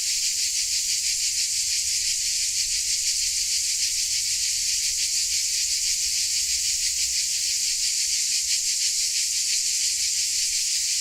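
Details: A dense chorus of crickets in Dalmatia gives a steady, high, shimmering buzz with fast pulsing.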